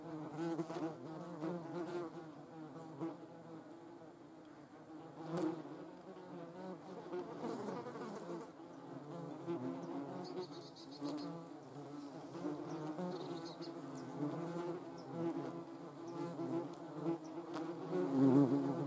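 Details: German wasps, Vespula germanica, filmed in nature: a steady low droning buzz of several wings that wavers in pitch and loudness throughout, with brief clicks and soft higher tones near the middle.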